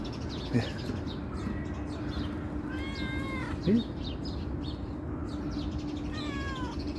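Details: Calico cat coming when called, giving drawn-out harmonic meows around three and six seconds in, with a soft voice calling its name, faint short voiced sounds, and high bird chirps in the background.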